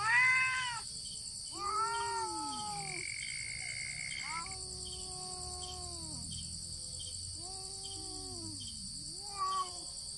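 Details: Cats fighting with no contact, only meows: a series of five or six arched, whining yowls, some ending in downward slides, spaced one to two seconds apart. A brief steady tone and a constant high background hiss are also heard.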